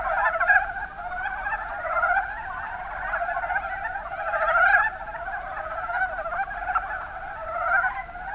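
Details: Chorus of Mountain brown frogs, Rana ornativentris, Kuma Basin, Kumamoto Prefecture, Japan. Many voices overlap into a continuous clucking, trilled murmur, with louder bursts near the start and around the fifth second.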